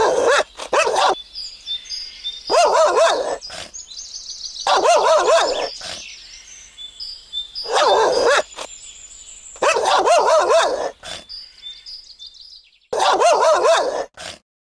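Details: Belgian Malinois preparing to attack a man protected by thick clothes; loud, harsh barks in bursts of two to four, repeating every two to three seconds, with brief quieter gaps between.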